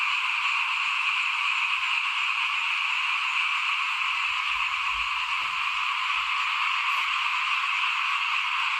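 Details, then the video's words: Outside a house at rice-sowing time in 2021, small frogs produce a loud, continuous high-pitched chorus, dense and unvarying, with some low rustling thuds in the middle. "ฟินๆกับเสียงเขียดร้องหน้าบ้าน ตอนหว่านข้าวเตรียมปลูกปี2021"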